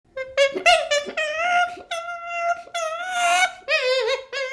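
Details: Baby chimpanzee giving a run of high, wavering whimpers, each tonal cry bending up and down and trailing off, with short gaps between bursts indoors.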